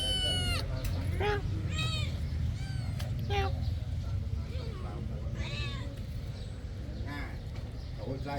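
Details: Kitten living at a temple meows while feeding. Short, arched, high-pitched mews come every second or two amid ongoing conversation and a steady low rumble.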